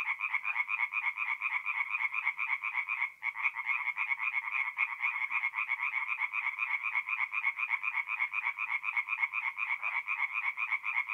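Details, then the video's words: Night chorus of tree frogs at a forest pond in North-East Italy in mid-April, many callers producing fast, regular rattling croaks about four per second, continuous and even, with one short break. "relaxing forest pond by night with singing tree frogs"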